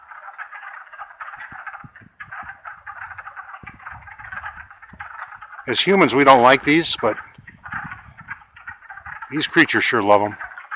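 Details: Wood frog chorus in Longkill Woods in spring, April 2014: a dense, steady band of rapid clucking croaks overlapping continuously, broken twice by loud bursts of human voice around six and ten seconds.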